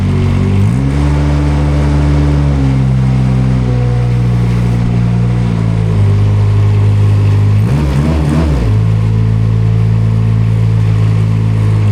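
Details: Front loader engine idling and revving on an organic pig farm while hay is added for the pigs; a steady low mechanical drone with shifting pitch and a brief surge near the eighth second, and no animal calls.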